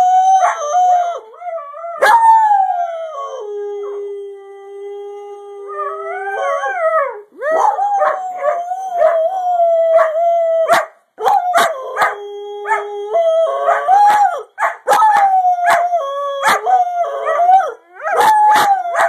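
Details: Greyhound dog howling in long drawn tones, some held steadily flat, others bending up and down, broken by short pauses, with sharp clicks and knocks between phrases.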